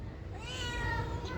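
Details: Domestic cat meowing in a responsive back-and-forth with a person, a single drawn-out harmonic meow rising then falling, over a steady low background hum.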